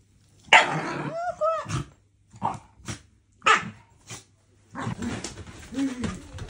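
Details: Pet Shiba Inu named Fuku, being teased by an older sister, gives short rough barks mixed with whiny rising-and-falling yelps in about six bursts over six seconds, with a human voice faintly heard between them.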